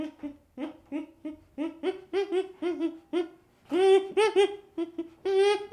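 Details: Baby chimpanzee giving a string of soft, tonal hoo calls, short and irregularly spaced, growing louder and more strained toward the end with a few sharper rising notes; no other sounds.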